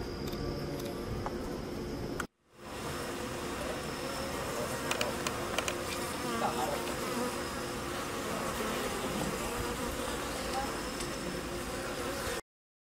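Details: Worker western honey bees lapping sugar syrup from a homemade transparent feeder under a floating styrofoam sheet; a continuous low, even droning hum, broken once by a brief cut, with scattered small ticks.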